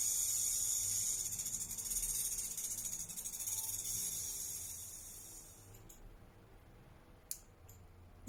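A rattlesnake gives a dry, continuous high buzz like shaken maracas, then falls quiet.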